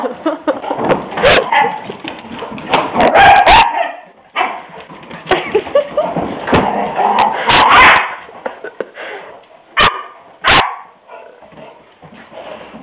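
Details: Puppies Ri and Jaz playing on March 24th 2006, Jazzy still a baby with a big mouth: bursts of high barks and whiny yelps in clusters, with brief pauses and sharp knocks late on.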